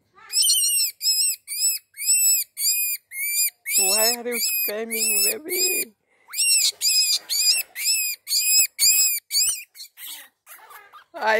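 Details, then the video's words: Screaming baby rabbit giving piercing, strongly harmonic squeals in quick succession, roughly two per second, broken by a brief pause and mixed with some lower, wavering cries midway. "Rabbit baby screaming / Baby rabbit sound"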